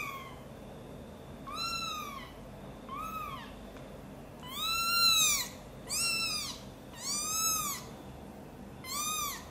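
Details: Mother cat's angry calls as her kitten Guitar is taken from a box and carried to her side: seven loud, arching meows in quick succession, roughly one every second or so, growing stronger in the middle.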